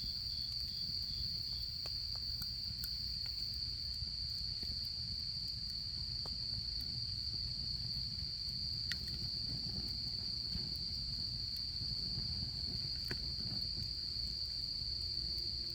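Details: Autumn insect chorus heard at a campfire in camping season: a continuous piercing trill holds steady, a short run of lower pulsed chirps opens the recording, and scattered fire crackles and pops sound over a low background hum.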